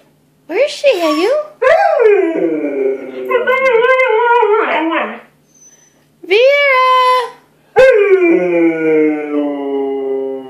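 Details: Siberian Huskies, a pair, howl to help their owner locate the other dogs: separate bursts of bending, arched howls with short silent gaps between them, one ending in a long slowly falling tone.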